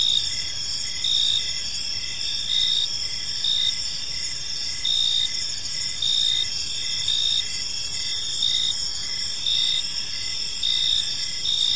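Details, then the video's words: A serene evening park with crickets chirping, sustained shrill trilling in several layers, louder pulses returning every couple of seconds, faint low background noise throughout. "Cricket Sounds in a Peaceful Park"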